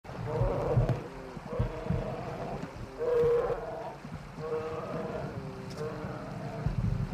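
A bear gives low, moaning growls in drawn-out bursts over a rumbling background.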